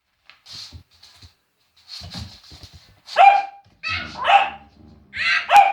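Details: Scared Cavalier King Charles Spaniel William barks at silliness: three sharp, high-pitched yaps about a second apart near the end, after a woman's quiet chatter urging him on.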